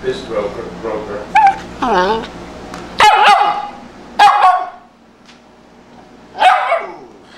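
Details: Tibetan Spaniel dog with an underbite barking: a few sharp, loud barks spaced one to two seconds apart, preceded by softer whining, wavering yelps, with a person talking quietly in between.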